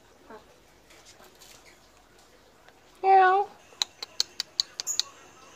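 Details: Medium Persian cat meowing to beg for food despite just being fed, acting almost angry; one loud, strongly harmonic meow with a wavering pitch lasting about half a second, followed by a rapid series of sharp clicks and taps.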